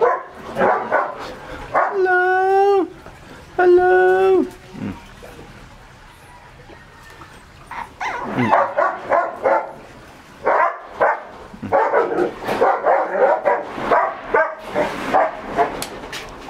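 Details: Shih Tzu puppies fed a raw diet wait for their meal: two long, drawn-out whining cries, then a burst of rapid high yips and short barks, with household noise and a person speaking.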